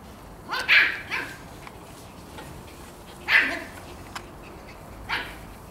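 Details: Puppies running about, giving sharp, bright barks: a pair close together near the start, another after a pause and a last one near the end, in otherwise quiet surroundings.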